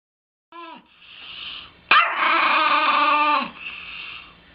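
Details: Chihuahua, described as bad, giving a brief whiny yelp followed by a long, harsh, strained yowl lasting over a second, high-pitched and rich in overtones, then a quieter trailing whine.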